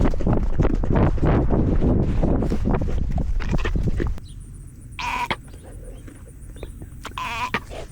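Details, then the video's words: Goat throwing a fit, recorded from a camera worn by the goat: about four seconds of loud rustling and thumping, then two short wavering bleats roughly two seconds apart over a quieter background hiss. "Chaos Goat throws a fit"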